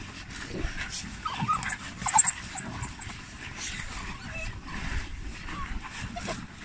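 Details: Rescued, endangered African wild dogs being fed at a shelter near the Kalahari in Botswana, awaiting release, give brief high whimpers and yips over steady scuffling noise.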